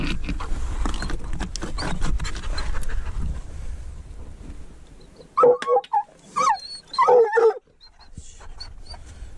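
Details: On a mink hunt with a dachshund, a treeing walker coonhound lets out a burst of high, ringing barks in quick succession after several seconds of rumbling, rustling background noise, then the field goes quiet again.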